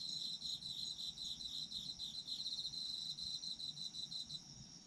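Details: Chorus of autumn insects: fast, shrill pulsed trills come in short surges of about half a second, one after another, with a continuous high-pitched ringing tone behind them and a soft low background rumble.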